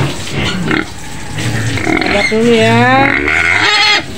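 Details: White pig in its pen on the outskirts of Medan, Indonesia, giving loud drawn-out screams with rising, wavering harmonic squeals in the second half; a woman's voice is heard at the start.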